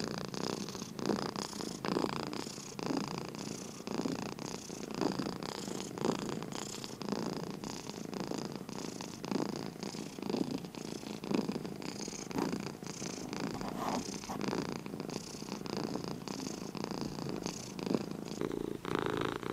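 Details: Sleepy cat purring indoors, a long continuous low rumble pulsing with each breath at a regular pace, soft hiss layered on top, steady for the whole stretch.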